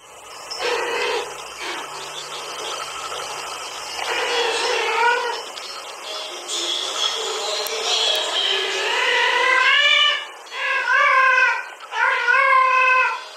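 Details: Domestic cat Haru reacts to a played female cat's mating call with rising-and-falling harmonic yowls, short wavering cries that grow into longer wailing calls toward the end, with a faint buzzing background.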